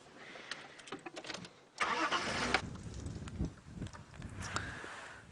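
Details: A car engine starts and idles outdoors in the countryside, with no animal calls heard.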